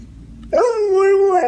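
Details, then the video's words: A dog 'talks' back to its owner during a conversation about coyotes and the farm: one drawn-out, level whining tone that starts with a sharp upward scoop, steadies, then wavers slightly at the end, with faint room noise beforehand. "Funny Talking Dogs"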